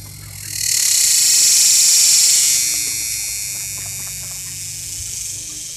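A cicada's loud, steady, high-pitched buzzing drone swells up and holds throughout.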